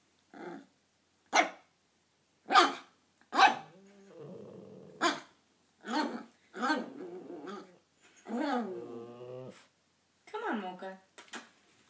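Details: Toy poodle puppy meeting his brother on his first day at home, playing; mixed yips, barks and drawn-out whiny growls with harmonic whines, irregular and close.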